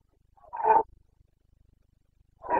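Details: ['Rutting Carpathian stag in Bucovina forest, 29 September 2022, letting out a single short rough roar, then starting another at the end; otherwise quiet.']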